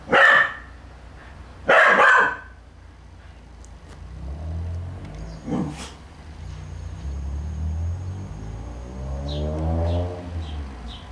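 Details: Puppy playing with a cat that is in attack mode; two short broadband barks near the start, a softer bark midway, then low rumbling noise with a faint high tone.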